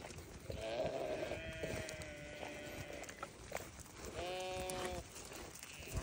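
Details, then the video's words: Newborn lambs giving drawn-out, wavering bleats, a long trembling cry near the start followed by a shorter steady one after a pause, over a noisy, hissing background. "Newborn baby sheep so beautiful"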